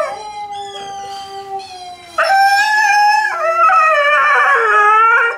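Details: Tikaani and Wolf, a Malamute and a Husky, howl in a Dear Tonka session; a steady held tone first, then a louder second voice joins with wavering, overlapping howls.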